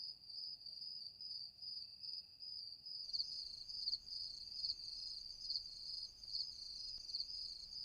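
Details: Crickets singing at night. A steady high, ringing trill runs throughout. After about three seconds, brighter accented pulses join in, roughly every half second, over a quiet background.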